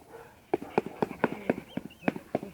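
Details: Black German Shepherd in guard training barking rapidly, about four short, loud, harmonic-rich barks per second, punchy and evenly spaced, with a handler's voice faintly in the background.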